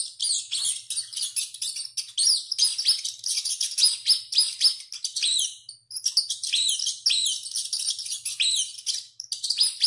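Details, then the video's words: Rat crying out over and over as it runs: an unbroken torrent of high, wavering squeals and chirps, briefly thinning near the middle before building again. "SOM DE RATO CORRENDO E GRITANDO MUITO"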